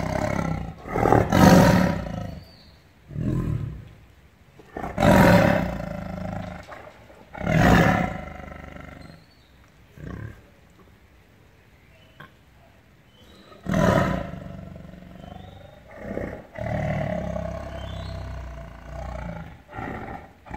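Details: Tiger giving a series of deep, gravelly roars, several close together in the first eight seconds, then a pause and further rough, drawn-out roars later on.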